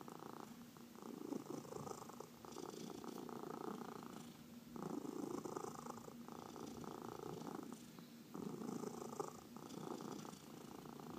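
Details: Purring pet cat under massage: continuous buzzy vibration broken into long inhale and exhale phases of roughly two seconds each, with faint brushing sounds of hands on fur.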